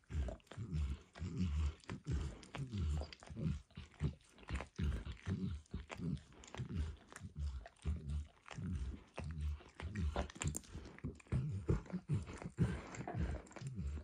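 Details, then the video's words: Max, a dog, licking eggs and diluted peanut oil from a bumpy orange mat; wet, smacking licks in uneven bursts of roughly one every second or faster, low and soft, with no talking. "ASMR Dog Licking"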